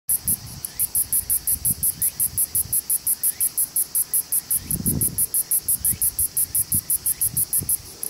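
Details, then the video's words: Kosemia radiator cicada singing on a twig of Japanese red pine at Kishiokacho, Suzuka City, Mie Prefecture, Japan, on August 18, 2018, filmed with an Olympus E-P5 camera; very high, hissing pulses repeated about four to five times per second, with low thumps and rumble beneath. "Singing Kosemia radiator (Uhler, 1896) on a twig of Japanese red Pine"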